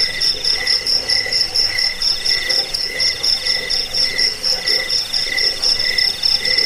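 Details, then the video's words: Chirping cricket, used as a rat repellent and bird-training recording, gives sparkling high pulses in fast series, while a deeper buzzy note throbs roughly twice each second under a soft steady trill. "Suara jangkik pengusir tikus pengantar tidur"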